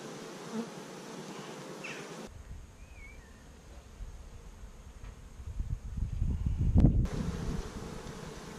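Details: Honey bees building their colony, week five of the first year after 15,000 bees arrived in May 2017, captured with GoPro cameras; a continuous low, throbbing buzz that grows louder and denser toward the end, with a sharp click.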